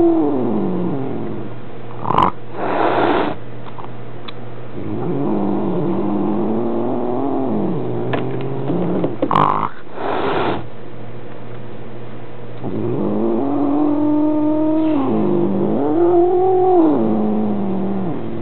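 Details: Domestic male Maine Coon complaining at home about a new kitten visiting, Minolta Dimage XT camera recording: drawn-out, wavering moans broken by sharp clatters and bumps, ending in a strong rising-falling yowl.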